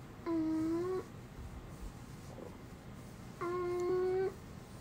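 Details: Uni, a pet dog who has never barked a normal woof since puppyhood and makes a human-like voice instead, gives two steady, held, hum-like tones, each nearly a second long, with a short pause between them. The room is quiet.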